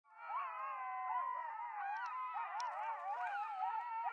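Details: Several coyotes howl together in a wavering, overlapping chorus of rising and falling tones around the recordist at Starbase.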